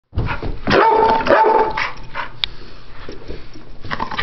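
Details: Pit bulls playing, not fighting: ten-year-old Chomper and ten-week-old puppy Stella. Loud, harsh barks and growly bursts come in quick succession, with a strained, tonal yelp near the start, followed by scuffling and softer irregular noises.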